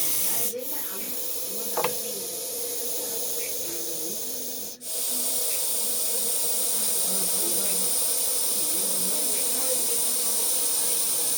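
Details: Russell's viper (Daboia russelii) giving a warning hiss: a long, steady, airy broadband hiss that continues almost unbroken, with one brief pause midway and a faint click near the start.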